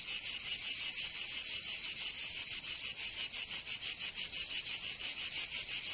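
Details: In the southern French region of Provence, summer cicadas sing a harsh, high-pitched rasping buzz, throbbing regularly about three times each second at a steady volume.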